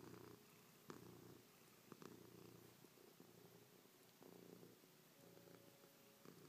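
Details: Chloe the cat purrs against her owner's face indoors, pawing and licking after sleeping on the owner's back overnight. The steady low purr breaks into rhythmic pulses about once a second as she breathes in and out, with faint clicks.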